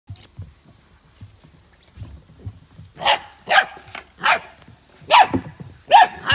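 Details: Ibizan Hound (Podenco Ibicenco) puppies at a kennel, playing with water: after three seconds of soft low thumps and splashy noises, sharp high yappy barks ring out about once a second, six in all.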